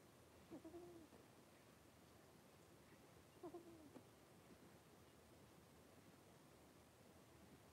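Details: Three-week-old blenheim Cavalier King Charles Spaniel puppies from a litter of five wrestle and play in a home puppy pen; two short, soft whimpers about three seconds apart, each a brief wavering whine, over a quiet room hiss.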